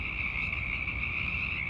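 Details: Hundreds of Pacific chorus frogs calling in darkness in late winter–early spring to attract mates, each with an individually identifiable call: many overlapping high croaks merging into a steady trill.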